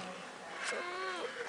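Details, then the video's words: Freshly bathed pet cat Snuggles meows in a falling, whiny tone, overlapping a brief click and a person's murmured voice indoors. "Talking Cat"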